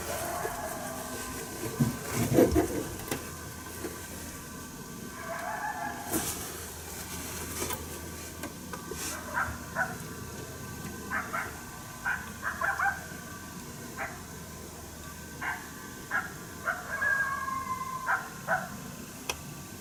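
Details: Coyote unhappy with a person nearby, heard yapping but unseen, St-Andrews, 1 March 2019; clicks and rustling early, then a steady series of short, sharp barks about one per second in the second half.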